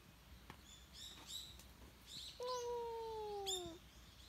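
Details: Short bright bird chirps open, then a stray cat that seems to be appealing for something gives one prolonged meow lasting over a second, gently falling in pitch.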